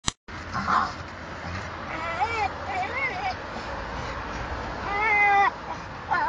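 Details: A Staffordshire-type ("staff") dog, apparently losing his temper, gives a series of high, tonal whines that rise and fall like a crying baby, ending in one longer, steadier cry, over faint voices and low hum.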